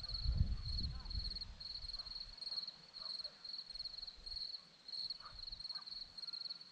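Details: Hillside crickets near Zorlesti, Romania, chirping in an even high-pitched rhythm, pulsed bursts roughly every half second. A brief low thump opens the recording, with faint distant sounds behind.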